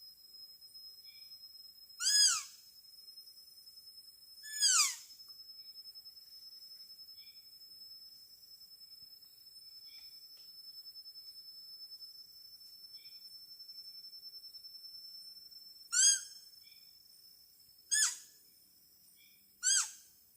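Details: Wild deer calls in the Kalimantan forest of Borneo, heard during traditional Dayak deer-call hunting: short, high, falling calls, spaced irregularly over a steady insect whine.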